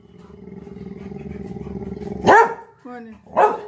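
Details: Labrador Retriever Lily, a pet dog whose apple fell, lets out two loud barks about a second apart over a steady low hum, with a brief human word between them.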